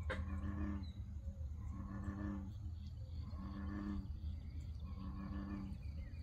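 An American bullfrog gives four deep, droning, resonant calls, each under a second and about every one and a half seconds, over a low steady rumble.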